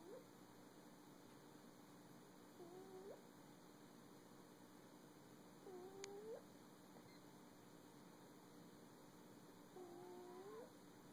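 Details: A pet cat making funny sounds while sleeping indoors on a cold day: four soft, squeaky, upswept mews, each about half a second long, spaced several seconds apart over a steady faint hum.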